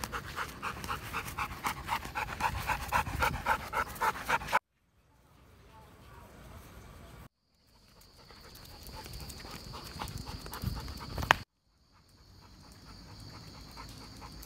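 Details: A Labrador Retriever, youngest dog of the family, pants rhythmically during a walk: fast huffing breaths for about four seconds, then abrupt cuts to quieter background with a steady high whine.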